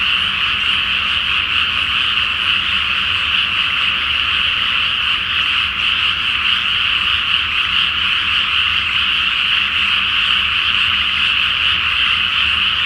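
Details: Frogs in great numbers croak together at night over a water-filled paddy awaiting rice planting, full moon overhead; the massed calls form a continuous, even, rattling drone without breaks.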